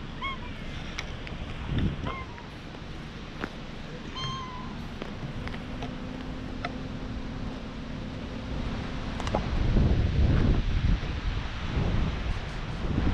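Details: Stray cat being patted, filmed on a GoPro: a few short, rising-falling meows with clear overtones in the first five seconds, followed by low thumping and rustling from handling and a steady background hum.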